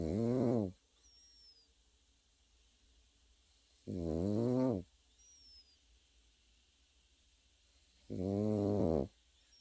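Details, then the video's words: Sleeping Pekingese puppy gives three rough, buzzing snores, each under a second, spaced roughly four seconds apart, with near silence between and a faint high squeak once or twice. "패키니즈 코고는 영상"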